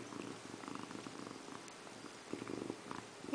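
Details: Pet cat Indiana Piano Rabbit sitting in a bathroom sink, bathing herself indoors; a rough, uneven purr rumbles through the clip, swelling near the end, in a small, quiet room.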